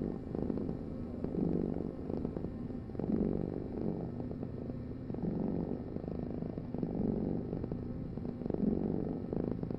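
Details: Long stretch of cat purring, a deep continuous rumble alternating between louder and quieter phases with each breath, otherwise quiet.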